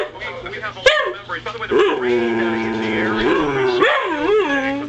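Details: Male whippet demanding something he wants right now gives long, drawn-out whining howls that waver and rise and fall in pitch. A few sharp yelps break in between.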